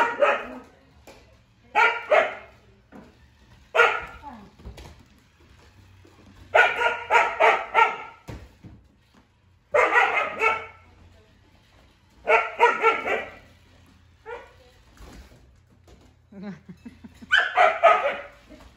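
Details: Two Siberian huskies, Juno and Echo, confront a toy robot named Dash, barking in short single yaps and longer rapid volleys spread across the stretch, with low household hum beneath the silences.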